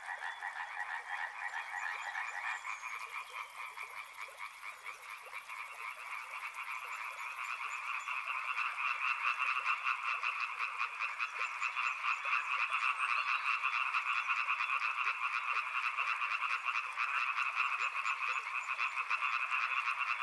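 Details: Riverside frog chorus of rapid pulsed croaks, quieter at first and swelling louder after about eight seconds into a dense ringing rattle; a thin high whine sounds briefly early on.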